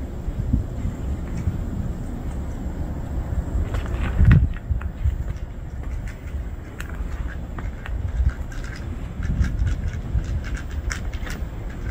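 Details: Low rumbling noise with scattered clicks and knocks, like handling or movement outdoors.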